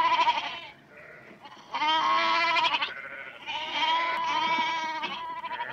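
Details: Close-range goats at Berkeley Lab giving long quavering bleats, a softer opening followed by two sustained strong calls that overlap, rich harmonic tone throughout.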